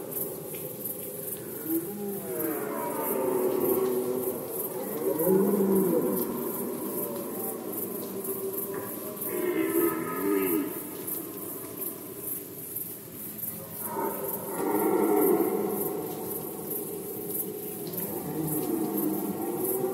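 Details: Red deer in rut season in Poland, 2020: deep, drawn-out harmonic roars rising and falling, four bouts about every four to five seconds, over a steady high pulsing insect-like chirr.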